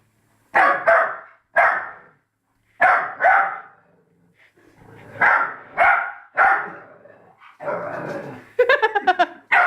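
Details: A Labrador puppy barks at its own reflection, looking for the other dog, with short, high barks often in quick pairs, ending in a rapid run of yips.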